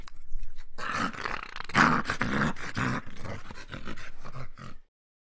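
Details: A homeless stray dog, hungry and asking people for help, gives a run of low, rasping, groan-like calls for nearly five seconds, then falls silent; crackling handling noise accompanies it.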